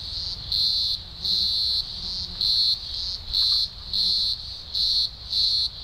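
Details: Green grocer cicadas in the Blue Mountains, Australia, in early October 2020 (spring), thousands singing at a large emergence: a loud, shrill chorus pulsing in steady bursts about every second.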